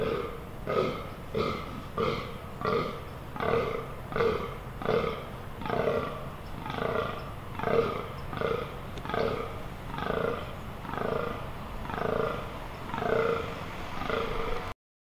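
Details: Fallow deer in rut, Amsterdam Water Supply Dunes, 18 October 2021: a long unbroken series of throaty, belch-like groans, about twenty in fifteen seconds, evenly paced, then sudden silence.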